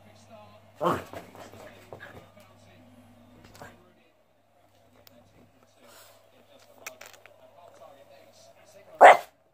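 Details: Sam, a pet Boston terrier, gives two sharp, loud barks, one near the start and one at the very end, separated by soft talking and a steady low hum.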